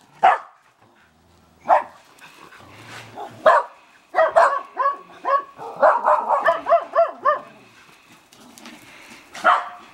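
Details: Two female Shetland Sheepdogs playing rough in a backyard at sunset: single sharp barks spaced a couple of seconds apart, then a fast, bouncing run of high, harmonic yips and barks, ending with one more bark.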